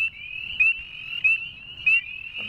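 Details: A male Northern Spring Peeper gives sharp, upslurred peeps about every half second to second above a dense chorus of others, whose high piping blends into a continuous shrill ringing trill.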